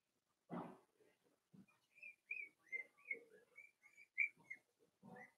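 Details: Four-week-old Cavalier King Charles Spaniel puppies from Daisy's litter whimper in their pen: a steady string of short, thin, high whines, some rising, repeated about every half second over soft shuffling and one dull thump at the start.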